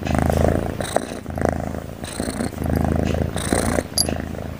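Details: A cat dozing and snoring, its breathing a rhythmic low buzz swelling and fading every second or so, with brief breathy hisses on the inhales.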